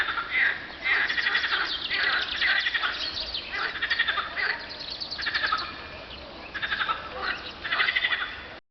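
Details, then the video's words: Chorus of frogs on a hot spring afternoon, 24 April 2012, recorded at 50.935752, 34.829053; dense rattling, pulsed bursts overlap and swell, pausing briefly near the middle before resuming. "Frog calls on a hot spring day"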